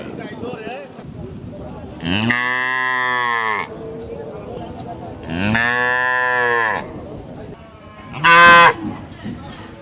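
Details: Cow at a village market gives two long, deep, harmonic moos, then a shorter, higher bellow.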